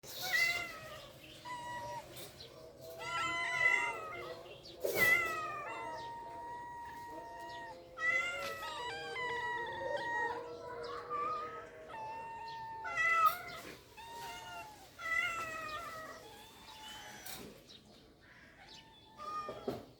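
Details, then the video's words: Cats in rural life meowing: overlapping harmonic meows, some rising then falling, in dense bursts throughout, several voices calling over one another with brief sharp clicks between. "The sounds of cats in rural life are beautiful"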